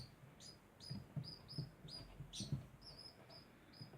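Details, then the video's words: A degu keeps up a steady series of sharp high chirps, some with a faint overtone above, spaced roughly every half second, over low knocking and rustling sounds. "Degu makes constant sound"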